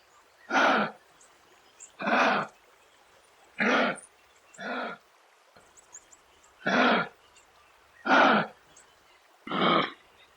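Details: Kangaroo: harsh, breathy broadband grunts or coughs, seven bursts each under half a second, repeated roughly every one and a half seconds over a quiet background.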